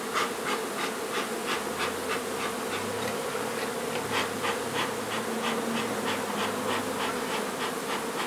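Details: Humming honey bees during a nuisance hive removal in an old house being renovated in Donna, Texas. A constant drone sits under rapid, regular tapping or scraping, roughly three strokes per second.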